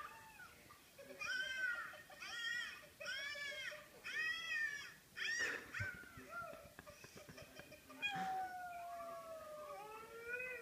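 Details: The family dog Jada makes a quick series of five arched, yodel-like yelps about half a second apart, then long, drawn-out falling howls. Faint clicks are heard between the calls.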